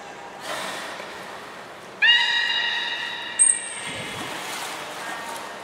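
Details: Port of Nagoya Public Aquarium, 14 September 2019, training belugas Hodoi, Taanya and Mirai: after quiet, a single steady harmonic tone of about one and a half seconds, then a short piercing high whistle.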